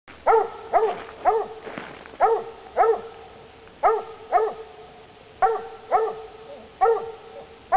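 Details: Female Treeing Walker Coonhound, a coon-hunting breed, barking while treeing a squirrel: loud, ringing barks in ones and pairs, roughly every half to one and a half seconds, each with a slight upward bend.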